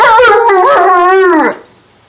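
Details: Alaskan Malamute or Siberian Husky indoors, howling and talking: one sustained, harmonic-rich howl with a wavering, slightly falling pitch lasting about one and a half seconds, then fading out.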